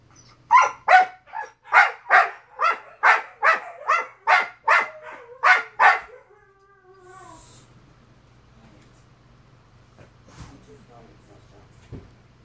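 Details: Siberian Husky adults complaining to each other at 2:00 AM while puppies howl; about ten evenly spaced short barking vocal bursts over six seconds, one brief moan, then near silence with a low steady hum.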